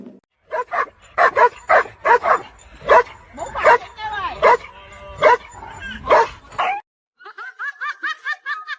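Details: Pet dog barking repeatedly in short, uneven bursts over several seconds, with a person talking underneath, ending in a string of high, whiny yips.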